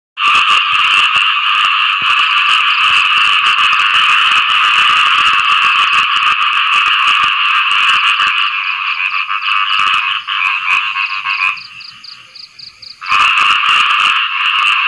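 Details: Frogs calling for mates after rain: a dense, continuous chorus of rapid, rasping croaks layered into a steady buzzing wall of sound, thinning briefly near the end before surging back at full strength.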